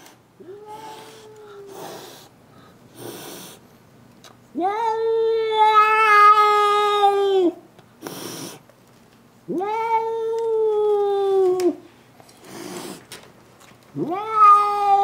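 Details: Clara, a domestic cat angry that another cat is at the window, gives repeated drawn-out howls of two to three seconds each, with a wavering tone in the middle one, separated by short hisses and pauses.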